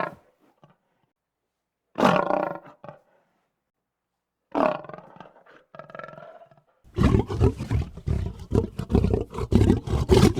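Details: Lion roar sequence: two drawn-out, strongly voiced calls a few seconds apart, followed by a long, dense, rumbling stretch of grunting and growling.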